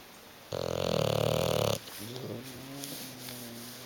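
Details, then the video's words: Bulldog snoring while asleep on a sofa, unwilling to wake: one loud, rattling, throaty snore of just over a second, followed by a softer voice calling and quiet room noise. "the snoring bulldog"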